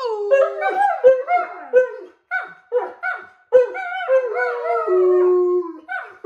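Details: Alaskan Malamutes howling for no apparent reason, several overlapping voices in wavering, sliding tones, some long and level, others short rising and falling yodels, with brief pauses between bursts.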